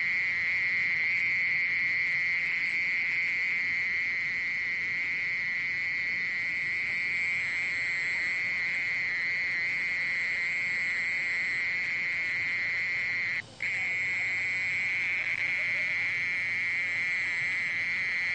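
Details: Mole cricket singing a steady, unbroken high trill with a faint overtone above it, held at an even pitch throughout and interrupted only by a brief click-like dropout near the end, over a quiet low hiss.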